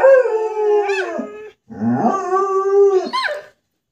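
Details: A 10-month-old German Shepherd gives two long, steady howls, each ending in a brief upward yelp.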